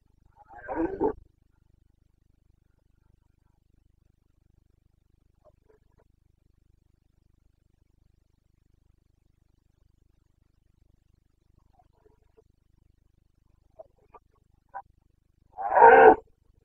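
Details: Carpathian stag roaring in the Bucovina breeding season, 29 September 2022. One deep, rasping bellow opens, then a long hush broken by faint distant grunts, then a second loud hoarse roar closes.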